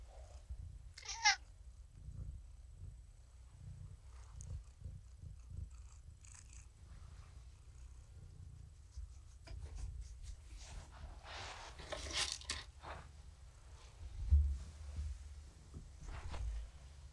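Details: Domestic cat Morticia, a rescue found at the door of a Purrfect Pals volunteer, purrs during an evening session of kitty therapy indoors. A low, continuous rumbling purr runs throughout, broken by scattered soft rustles and clicks.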